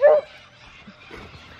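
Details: A beagle, agitated by a magpie and wanting to climb the tree after it, gives one loud, sharp bark, followed by quieter background sounds including birds, likely the nesting white cockatoos, and a man's voice.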